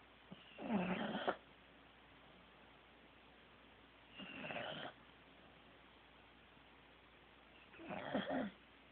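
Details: Teddy, a Corgi, asleep and snoring: three broad, raspy snorts roughly every three and a half seconds with quiet pauses between, nothing else audible.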